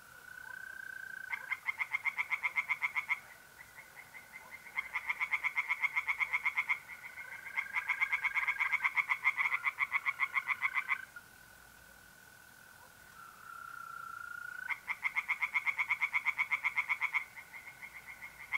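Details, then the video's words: Tree frogs singing by a pond at night in mid-April in north-eastern Italy: rapid pulsed croaking bursts of about two seconds, repeated, over a steady high trill of mole crickets that carries on through the pauses. "relaxing singing tree frogs in pond and trilling mole crickets by night"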